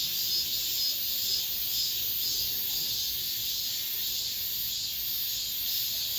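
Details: End-of-summer cicadas in an apartment complex, the last singing of the season: a loud, continuous high buzz with a steady light pulse and small rises in intensity, nothing else clearly audible.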